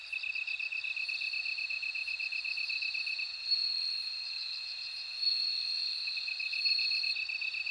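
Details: Ringing bell cricket song, a high, continuous tone with a quick ticking trill beneath it and a wavering upper line of chimes, several insects overlapping in a dense insect chorus.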